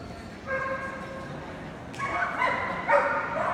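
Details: Golden Retriever voicing a run of high, tonal yelps: one held note, then a louder cluster of three or four overlapping cries in quick succession, set against low room noise.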